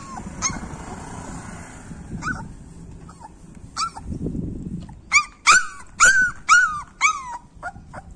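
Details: Three-month-old Labrador puppy Hunny starts with a few faint, scattered squeaks, then breaks into a quick run of about six loud, high, arching yelps, roughly two per second, against low indoor noise.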